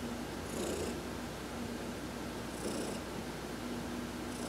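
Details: Soft rumbling purr from Heidi, an adopted pet cat, during a sunbathing massage on November 19, 2020, with short hissing rub noises about every two seconds.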